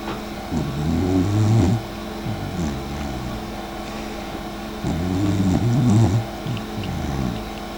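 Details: Sleeping dachshund named Mika snores, filmed by her sister Eva: two long, low rumbling snores with rough pulsing texture, about four seconds apart, each lasting roughly a second and a half, with quieter breathing between them.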